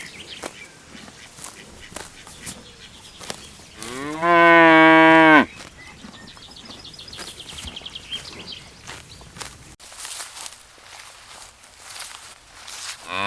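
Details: Cows lining up and searching for food in a green pasture; one loud harmonic moo of about a second and a half, rising then steady, over a quieter background of clicks and rustling.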